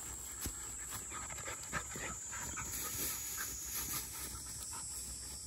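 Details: Quick, soft panting at roughly four breaths a second from field-line Labrador Retrievers resting at lunchtime. Puppies Dori (black female) and Pin (yellow female) are 197 days old, and Mā is 12. A faint constant high whine sits behind.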